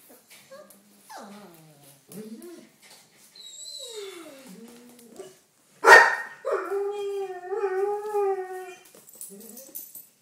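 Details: Red rust Doberman Pinscher puppies at 28 days old, some following their owner, give high wavering whimpers and whines, rising and falling in pitch, with one loud sharp yelp near the middle and a longer sliding cry after it.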